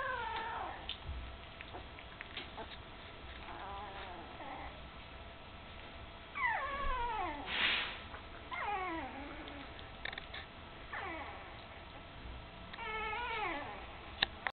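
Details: Puppies close to three weeks old, eyes recently opened, tottering near their mother Candy; repeated falling whines arrive in clusters every second or two, with a brief louder noisy burst midway.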